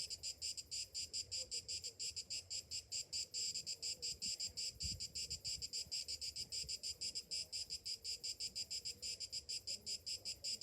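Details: High buzzing song of summer cicadas in the morning, a steady series of rhythmic pulses several per second, with a brief low thump partway through.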